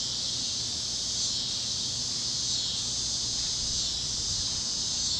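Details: Kansas farmland at sunset on a warm evening, with cicadas chirping: a steady high, shimmering chorus that swells slightly around one second and again near three seconds, over faint low background noise.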